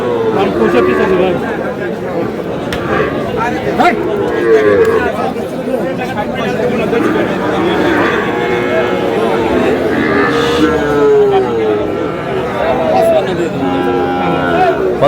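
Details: Young bull calves at a busy cattle market, bought by a farmer from Comilla on 10 June; several short, mid-pitched moos rise and fall amid constant loud crowd chatter and bargaining voices.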